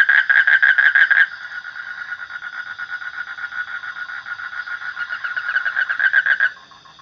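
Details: Frog calling in rapid pulsed bursts centred in a mid-pitched band, loud at the start, fading to a steadier drone in the middle, then pulsing again before stopping abruptly near the end.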